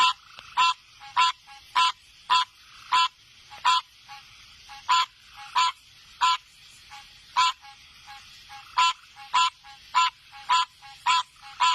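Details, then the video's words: Frogs calling with a 'pokro pokro' sound: harsh, nasal croaks with a ringing tone, given in a steady series about every half second to second across the recording, with a quiet background. "Frogs 🐸 making sound pokro pokro"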